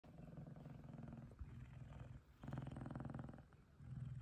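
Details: F2 Savannah cat, one of two males cuddling together, purring happily: a low, rough rumble with broken bursts, a brief pause near the middle, then a stronger stretch of purring.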